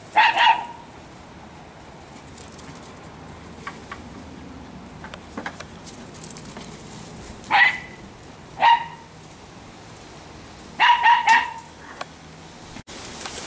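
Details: Italian Greyhound females, three small fast dogs at home in fall; short, sharp barks in scattered bursts, single barks spaced several seconds apart, then a quick double bark, with a quiet background between them.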